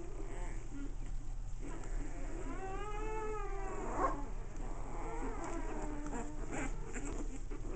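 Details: Playing American Bulldog puppies. One long, clear, wavering whine rises and falls near the middle. Softer whimpers come before and after it, over a low background hum.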